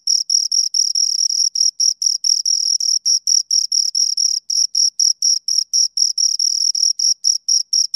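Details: Shrill, high chirps from two crickets come in quick, fairly even pulses, roughly three or four per second, some running together into longer trills, on a silent background.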